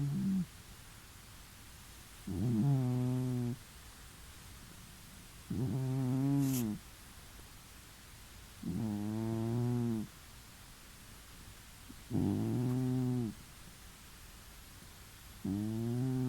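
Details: Pet cat snoring while relaxed in a new home, heard from the neighbouring room; loud raspy harmonic breaths, each lasting about a second and repeating every three to four seconds, with quiet pauses between.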